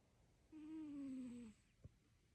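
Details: Snoring cat indoors in a small quiet room: one drawn-out, gently falling, whistle-like snore lasting about a second, followed by a faint soft click.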